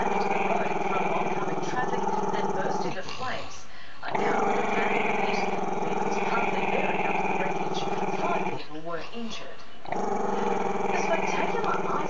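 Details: Chester, a camera-shy Maltese-Shih Tzu puppy, growls at the camera: a long, continuous rough rumble with a pulsing texture. It breaks off briefly near four and nine seconds for breaths, then resumes just as steadily.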